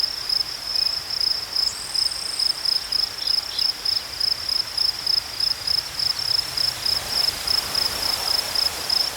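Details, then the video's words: Crickets chirping in a natural outdoor setting, high buzzy pulses in steady rhythmic bursts roughly twice a second, with a brief higher whistle-like note near the start and low background rumble. "Crickets chirping sounds"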